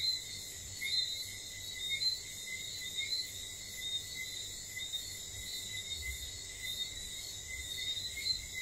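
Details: Whistling frogs at night in St. Lucia, their short, high, tinkling whistles overlapping steadily among several callers, layered over a continuous shrill insect background.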